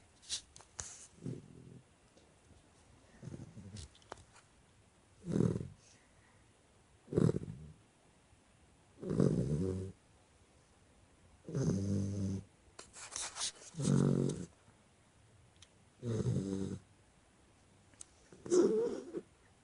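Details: Chocolate Labrador Retriever snoring while asleep indoors: low, rasping snores in regular bursts about every two seconds, each a rough breath lasting under a second, with quiet pauses between.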